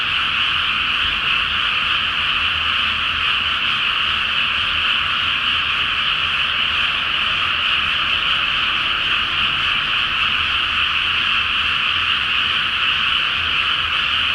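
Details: Frogs in a great chorus at night in a flooded rice paddy before rice planting in Japan, under a full flower moon: a dense, continuous wall of overlapping croaks and trills, steady for the whole stretch without pause, with a faint low rumble beneath.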